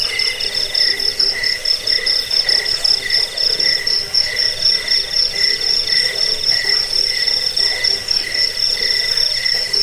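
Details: Chirping cricket used as a rat repellent, sleep aid and bird-training tutor: continuous piercing whistle-like trill with fast, uneven pulses layered over fainter chirping, steady loudness throughout.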